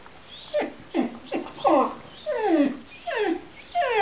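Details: Gerberian Shepsky named Loki crying at his orange squeaky basketbone toy, a reaction his owners call traumatic: loud, closely spaced yelps sliding sharply downward, running into longer drawn-out whines over four seconds.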